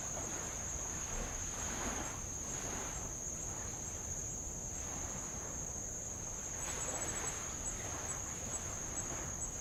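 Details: Insects give a steady, high, unbroken buzzing trill over light waves washing on old lava around Avalau island, Tonga.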